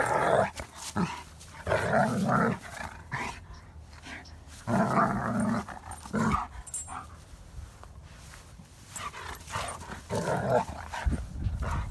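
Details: German Shepherd play-fighting with another dog, producing rough, noisy growls and snarls in bursts of one to two seconds with short pauses between them.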